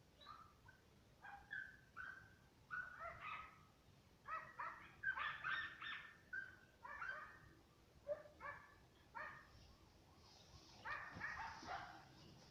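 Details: Two German Hunting Terriers, Mibun and Anja von Jagdwald, yelp and bark from a distance in quick irregular bursts of sharp, ringing notes, at times overlapping into a clamour, then tailing off into fainter cries.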